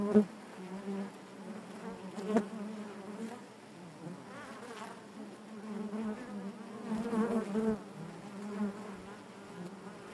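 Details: Crowded honey bee hive drone: a low, even buzz with shimmering harmonics, some passing bees adding brief wavering whines, and a few soft clicks throughout.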